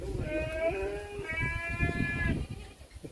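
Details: Garut sheep, described as super class A, bleating: two wavering, nasal bleats of about a second each, back to back. Low rumbling noise and murmur run underneath.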